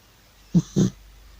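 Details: Sleeping old cat snoring loudly, a quick pair of low, raspy snorts in close succession, then quiet.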